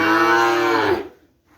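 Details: Kerapan bull-race breeding cattle brought from Sapudi Island, kept at a private home: one loud, richly harmonic moo lasting about a second, steady then fading, followed by near silence.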